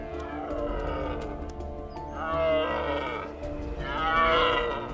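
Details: Red deer stag on the Isle of Rum, Hebrides, Scotland, gives two long, hoarse roars about a second apart, swelling then fading, over music; mating call during the annual rut, attracting females to his harem.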